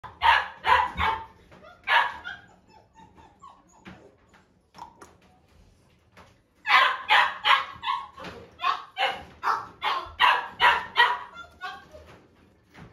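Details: Salt-and-pepper Miniature Schnauzer barking: sharp, bright barks in quick runs of about three to a dozen, roughly two or three per second, with a quieter stretch of soft yelps and sniffs in between.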